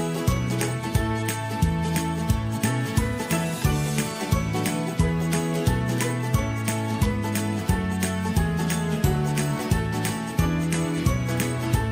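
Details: Upbeat festive music with a steady bass line and jingling bells, with no animal voice heard.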